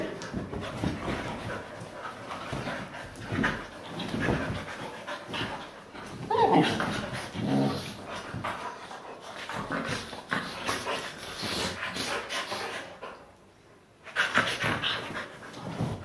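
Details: Pet Siberian Huskies romping together on a couch, breathing hard with fast panting and scuffling, a short tonal whine rising midway, and a man's voice faintly in the background.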